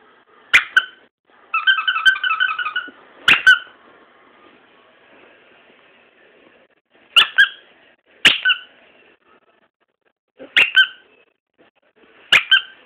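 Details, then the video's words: Dog giving its first bark, short sharp high squeaky yips scattered across the clip with a brief buzzy trill near the start, quiet pauses between, indoors. "Bostons 1st bark"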